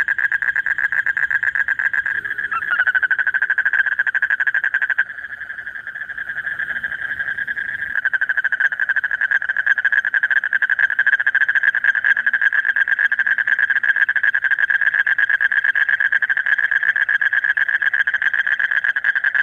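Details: A male toad calls late at night during the breeding season to draw a mate: a continuous, fast pulsed trill at steady mid pitch that briefly dips in loudness, then carries on unbroken.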